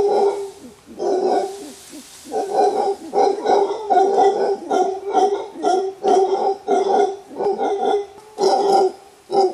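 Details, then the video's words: Wild mantled howler monkeys, a huge clan in a Costa Rica bamboo forest, with the alpha male's warning roar: a long series of hoarse, throbbing roar pulses coming in quick rhythmic bursts after a quieter opening. "Wild Howler Monkey Sound: Hear the Rare Warning Roar of an Alpha Male"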